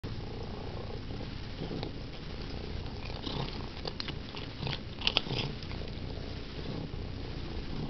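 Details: Domestic cat named Sandy purring while doing her favorite thing: a steady low rumbling throb with soft pulsing, a few faint clicks and rustles around the middle.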